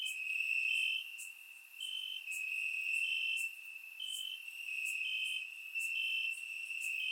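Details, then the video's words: Night chorus of crickets chirping in the grass in Bulgaria on a warm summer night: a constant high-pitched trill overlaid by short higher chirps roughly every half second, with brief bright ticks above, loudness dipping now and then. "Cricket Sounds - Crickets Chirping at Night"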